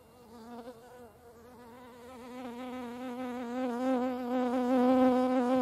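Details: Hornets at a feeding place: a steady humming buzz, slightly wavering in pitch, that grows gradually louder as the insect comes closer.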